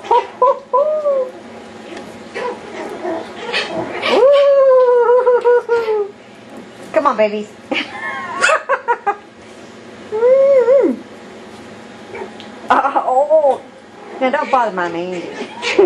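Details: Yorkshire Terrier puppies playing wildly indoors, giving high, drawn-out whines that rise then slowly fall, mixed with short sharp yips in bursts, and quiet gaps between outbursts.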